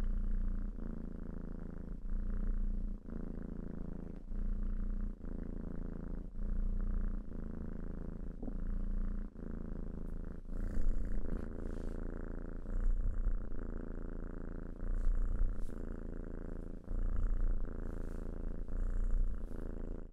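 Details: Purring cat, a deep continuous rumble rising and falling with each breath roughly every one to two seconds, steady and close.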